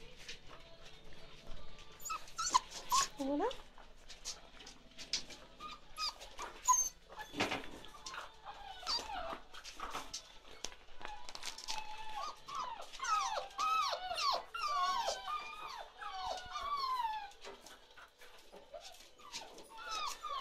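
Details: Ruby's 47-day-old chocolate Labrador Retriever puppies, several together, give many high, thin, falling whimpers and squeaks that overlap and grow busier in the second half, with a person talking and clattering sounds between them.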